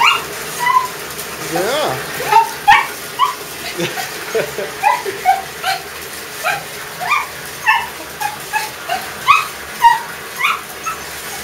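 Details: Digger, a dog who loves to attack water, yips and whines rapidly and repeatedly, roughly twice a second, while playing at the filling bath; a person's voice briefly overlaps early on.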